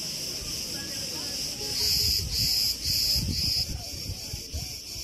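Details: Cricket at Preveli Beach, Crete, recorded in August 2020: a series of bright, shrill chirps, roughly two per second, rising from a steady high buzz. Wind moves tree branches with a soft low roar.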